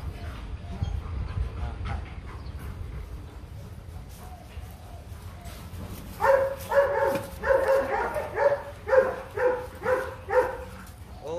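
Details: Rottweiler at a breeding visit in Vietnam, female brought for mating with the champion male Loki: a run of about ten rhythmic barks, roughly two per second, beginning midway after low background rumble and faint voices.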